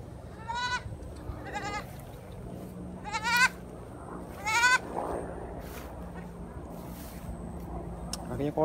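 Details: Young goat kid brought along while cutting grass, calling like a kid that has just found food: four wavering, shaky bleats in the first five seconds, then quieter, over a steady low hum with people talking nearby.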